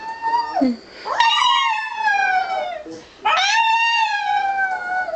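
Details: Pet dog howling together with its owner; long tonal howls sliding down then holding steady, two main phrases with a brief yip-like drop between, a human voice joining the howl.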